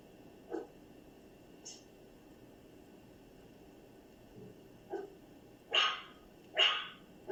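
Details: A dog producing odd sounds: faint, scattered short yelps and a high squeak early on, then two strong, harsh barks about a second apart near the close, over low background hiss.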